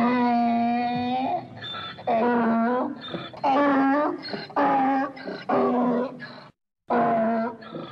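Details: Donkey. A donkey gives a loud, rasping bray, a run of long harmonic honks, each about a second long. The strained blasts repeat with brief gaps for breath and fade at the end.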